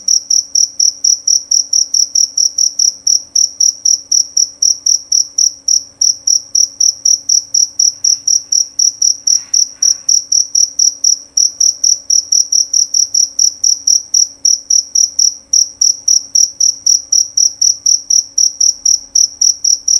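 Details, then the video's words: Male jerabang cricket singing loud and clear: a steady run of high, bright chirps, about four each second, sharp and evenly spaced, with a faint low hum in the background. "Bunyi Suara Jangkrik Jerabang Nyaring dan Jernih"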